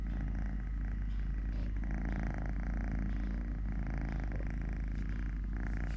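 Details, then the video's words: Totoshka, a cat with three legs, purrs continuously during eating, play, walking or play-fighting with a hand: a deep, even rumble with faint voices in the background. "10 MINUTES of LITTLE GREMLIN PURR PURR | Having Food, Playing, Walking, Fighting with hand, purring"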